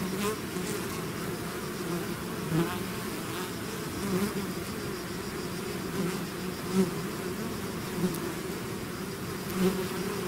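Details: A bee swarm outside its hive drones continuously, a low humming buzz with individual bees zipping past and swelling louder every couple of seconds.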